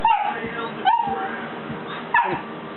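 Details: Buddy, a three-month-old Golden Retriever puppy scared to come down a step, gives three short high yelping barks about a second apart, with a quiet indoor hum behind.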